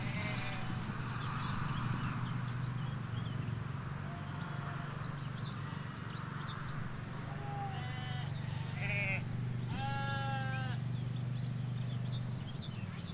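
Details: Ewes and lambs in a field in rural Hampshire, England, by a hedge with a road beyond: small birds chirp early on, then a few sheep bleat, short and quavering, toward the end, over steady low road hum.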